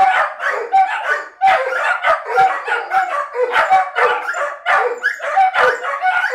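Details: A group of dogs left behind when their owner briefly drives to the shop, a behaviour called separation anxiety; tangled howls mixed with barks and yelps, rising and falling in an unbroken, clamorous chorus.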